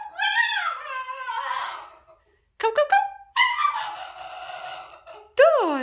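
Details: Makena, a female basenji, talking back indoors while being readied for a walk: a long wavering, harmonic yodelling wail that slides downward, then a burst of short sharp yelps, another drawn-out whine and a final rising-falling cry.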